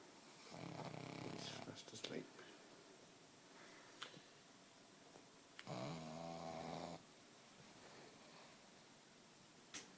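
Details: Alfie, a nine-month-old Pug, fast asleep while chilling out on the sofa indoors, snoring in two long, raspy, breathy stretches several seconds apart, with quiet pauses and a few soft clicks between them.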